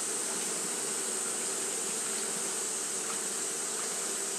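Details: On a hot day, Japanese honey bees keep up their fanning, giving an even, low buzzing drone layered with a continuous high, hissing band.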